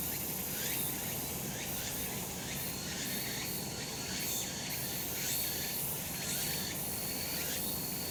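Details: In a sunny mountain spot in summer, cicadas keep up a thick, even buzz, with rising swept notes recurring roughly once per second and steady low ambient noise beneath.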